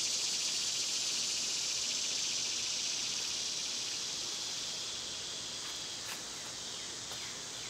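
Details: A high, sizzling cicada drone in summer, strongest at the start and slowly fading across the stretch, with a few faint, sharp bird chirps breaking through near the end.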